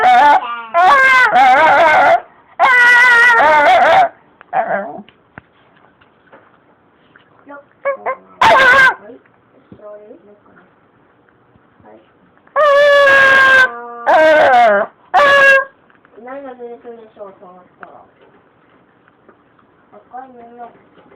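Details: Talking Shiba Inu Sakura desperately protests for extra treats, giving bursts of long, loud, wavering yowls and sharp yips, with softer whimpers and grumbles filling the gaps between outbursts.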